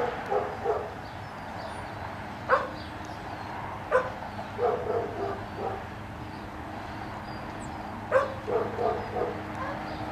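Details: Intermittent whining yips from a dog at a retriever training line, black Labrador Retriever Finn attempting a water double beside a five-month-old puppy, Breck; scattered brief squeals and short clusters of high yelps spaced a few seconds apart over a steady background hum.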